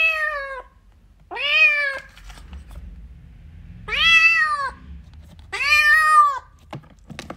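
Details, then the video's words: Kitten meowing for its mother cat: four loud, drawn-out harmonic meows, each rising slightly then falling, spaced about two seconds apart in a quiet small room. "Kitty wants mommy cat videos | cat meowing"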